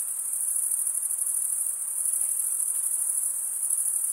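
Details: Crickets of a summer forest at night, a constant thin high-pitched buzzing trill with faint rhythmic pulsing, accompanied only by low background hiss.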